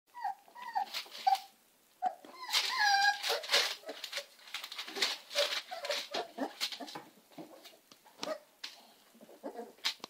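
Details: American Staffordshire Terrier puppies giving thin, high whimpers and squeaks that rise and fall, several pups overlapping in quick, irregular bursts with short pauses between, indoors with faint rustling.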